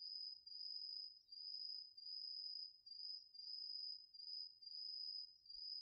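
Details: Autumn crickets and other insects chorusing in a garden vegetable field, recorded with a DR-40X: a steady high ringing trill that swells and fades in pulses about every second, over a very quiet background.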